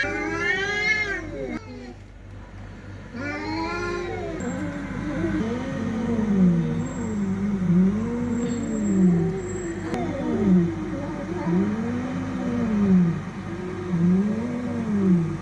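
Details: Fighting cats: a few high, arching wails open, then a long run of low, wavering yowls that rise and fall in slow waves, repeated roughly every second and a half, over a steady low hum.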